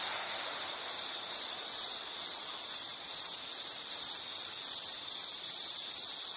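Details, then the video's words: A high, ringing insect chirr repeating in short pulsed bursts, even and persistent across the whole stretch, with a quiet natural background. "Sound · Nature Sound of nature sounds scenery L · insect"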